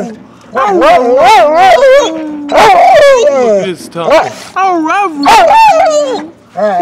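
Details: Pet dog howling and 'talking' up close, a series of loud wavering, yodel-like howls with rising and falling pitch, several bursts over seven seconds, with a woman speaking affectionately nearby.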